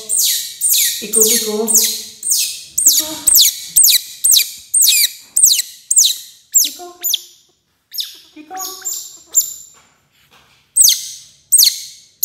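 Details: Young otter squealing while eating its first fish, a fast series of piercing, downward-sweeping shrieks, roughly two per second, mixed with lower buzzy squeaks, pausing briefly before resuming.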